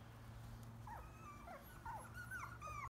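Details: Rescued chihuahua-mix puppies, six in the litter, awaiting adoption in March 2017 through Ozzie's Pound Puppies; thin, high squeaky whimpers, several overlapping, sliding up and down and growing more frequent toward the end, over a steady low hum.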